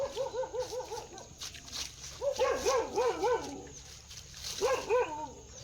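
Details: Dog uttering rapid high yelps in quick runs, each note a short rising-and-falling squeal repeated several times per second, in three bursts separated by brief pauses.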